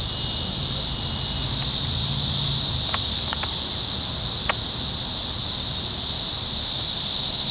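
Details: Brood X periodical cicadas of the 2021 17-year emergence in Sharonville, Ohio, recorded June 4. They sing in a loud, unbroken high-pitched hissing chorus. A few sharp ticks sound midway, along with a faint low hum early on.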